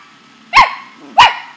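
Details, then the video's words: Playful pet corgi barking while play-biting at a person's leg: two sharp, loud barks about half a second apart, strong and clear against a quiet room. "The Feisty Barking Dog"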